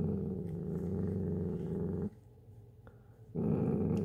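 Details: Dachshund growling indoors while hoarding chips, a low rumbling growl held for about two seconds, a brief quiet pause, then the growl resuming near the end.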